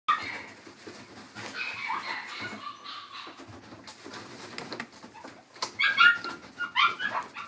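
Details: A female miniature dachshund puppy, shaded yellow and born 20 December 2016, gives high, thin whines and short yips at an irregular pace in a pet shop.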